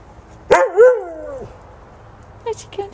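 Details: Husky mix named Buddy barking at a 10-week-old American Eskimo puppy while the two play in the snow at Christmas 2010; one loud harmonic bark that bends up then slides down, followed by faint short yips and a voice.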